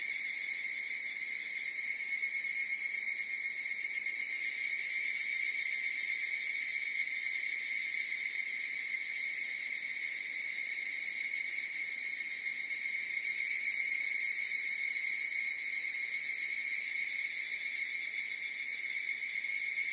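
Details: Massed higurashi cicadas produce a constant, ringing high-pitched buzz of stacked even tones, swelling slightly louder around the thirteen-second mark before settling again.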